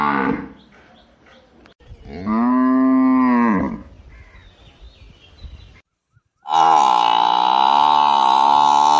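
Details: Cow mooing: faint low sounds at first, then a loud, even, deep moo of about one and a half seconds, a quieter gap with soft background noise, a brief silence, and a louder, higher, wavering moo to the end.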